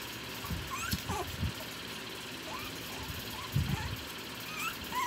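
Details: Three-week-old Shih Tzu puppies give faint, thin, rising squeaks and whimpers over a low rumbling background.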